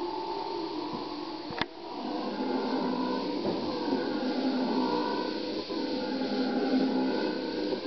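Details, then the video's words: Howler monkeys giving a sustained, droning roar with broad layered bands, swelling and easing in long waves over several seconds, with a sharp click near the start. "Howler monkeys"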